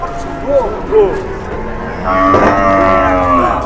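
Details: Brief voices at a cattle market give way to a strong, steady moo from one animal, held for over a second, with faint crowd sounds behind.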